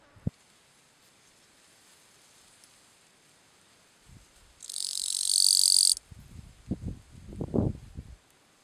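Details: Gampsocleis schelkovnikovae bush-cricket calling song, recorded 11–12 September 2012 at Letea, Romania: one loud, high, hissing buzz lasting just over a second, followed by low thumping and handling knocks.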